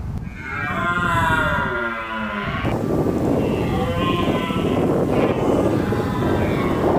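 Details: Deer in London's Richmond Park during the rutting (mating) season: a drawn-out, moaning bellow with rich stacked harmonics over the first two and a half seconds, then a steady loud broadband rumble for the rest.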